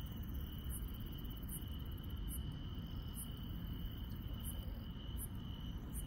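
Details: Grass insects at night in the countryside: a steady high continuous trill with sharp ticking pulses above it, repeated roughly every second, set over a loud low rumbling background.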